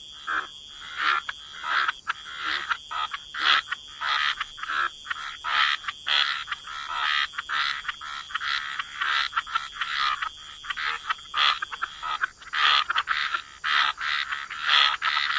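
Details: Frogs croaking by the waterside: short, raspy pulsed calls repeat rapidly and overlap throughout, above a steady high-pitched tone running unbroken in the background.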